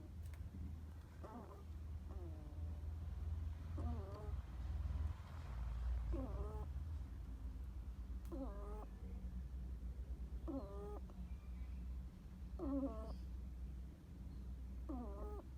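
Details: Hedgehog kept at home snoring while asleep: soft, squeaky wheezes with a faint whistled edge, each under a second, repeated every one to two seconds over a steady low indoor hum.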